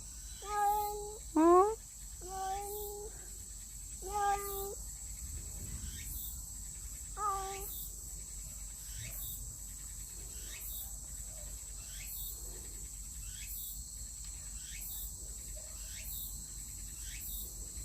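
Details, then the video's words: Stray cat visiting its old feeding spot, uttering five quick meows in the first eight seconds, one sharply rising. It then falls silent while regular insect chirps pulse steadily and a woman's voice is heard. ""알라리에옹" 소리 낸 후 사라진 길 고양이 Disappeared after making a sound Road cat"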